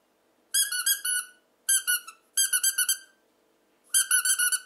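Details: A captive male red fox of the "ognevka" colour type, rescued from a fur farm, gives shrill, squealing screams in quick pulsing bursts, each about a second long, while handling a stuffed toy squirrel as prey.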